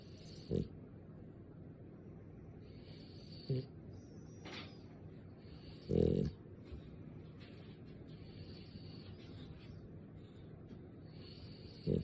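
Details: Sleeping French bulldog snoring: soft, low snorting breaths come at irregular intervals of a few seconds, with a louder snort near the middle, over a quiet room hum.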